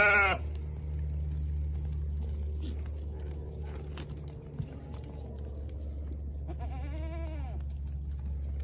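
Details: Goat bleating over a constant low droning hum: a short, harsh bleat at the very start, then a longer, wavering, richly harmonic bleat near the end.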